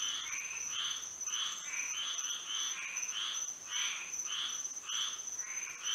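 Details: Frogs in Florida singing through a moonlit night; overlapping grating croaks, some paired, pulse around ten times, uneven in spacing, against a constant high, buzzy background hum.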